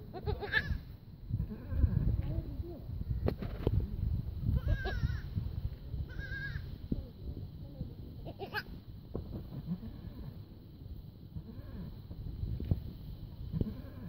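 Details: Young goat kids give short, quavering bleats, several spread through the recording, over steady human talking and low rumbling background noise.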